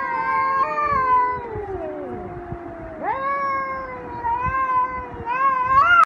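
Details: During a fight between two angry tomcats, loud close yowls waver and fall, then a sudden upward-swooping wail cuts in, followed by rising, increasingly intense howling at the end.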